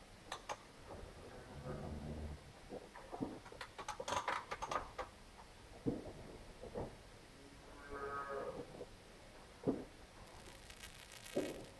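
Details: Problem heifer calving on a farm in Poland: low, drawn-out moaning calls, one early and another later, between sharp clattering knocks and handling noises in a barn.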